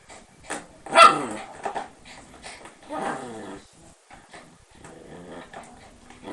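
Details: Shiba Inu, described as overly mischievous and confined behind lattice: one sharp bark followed by softer grumbling growls and muffled yips, fading into low rustling.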